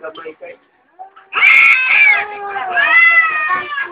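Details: Domestic cats fighting at home in the morning: a few short low mews, then two long, loud, wavering wails, each held about a second, rising and falling in pitch with rich harmonics.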